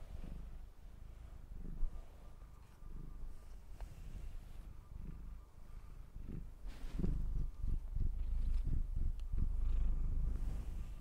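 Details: ['Domestic cat purring while being brushed: a low, steady rumbling purr with rhythmic pulses that grow louder and denser in the second half, alongside soft brushing strokes.']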